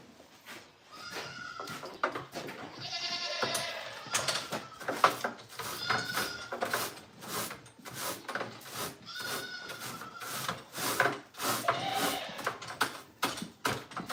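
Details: Goat on a farm giving several wavering, nasal bleats spread across the stretch, each about a second long, mixed with frequent sharp knocks, clatter and rustling close by.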